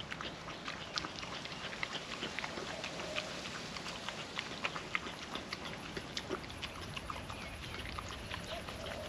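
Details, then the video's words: On a windy day, a hungry female puppy licks wet food off a food trapper mat, making a quieter stream of fine, rapid wet clicks and lapping smacks against a constant airy background hiss. "Wet food ASMR dog eating sounds"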